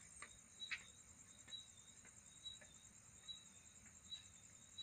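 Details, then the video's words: Night insect mating sound: a steady high band of continuous trilling with a thinner tone beneath, punctuated by short sharp ticks and chirps roughly every second, over a quiet background hiss. "Night insect sound"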